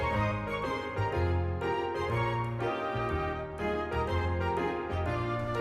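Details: Gentle background music on plucked keyboard and strings plays throughout, with no animal voice.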